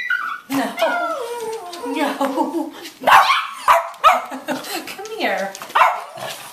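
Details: Two Cavalier King Charles Spaniels, Tierney (Blenheim, 3 years) and Hayley (Tricolor, 7 years), indoors at night greeting their owner coming home, a nightly event: sharp excited yips and high whines in quick bursts, mixed with a woman's affectionate talk.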